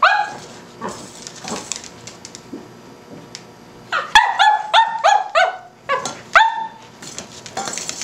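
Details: Cavalier King Charles Spaniel puppy barking at a tuna can: scattered short yaps early on, then a burst of about eight rapid, high-pitched harmonic barks, with faint room noise between them.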